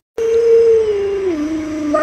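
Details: Lolo, a pet Alaskan Malamute at home, gives a single loud, drawn-out howl that holds a steady pitch, then slides lower and wavers near the end, with no other sounds.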